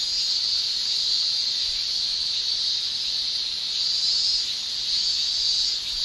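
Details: Continuous high-pitched shrilling of male cicadas during a Japanese summer, produced by tymbals. The dense, steady hiss pulses softly in strength every second or two, with no pauses and no other animals.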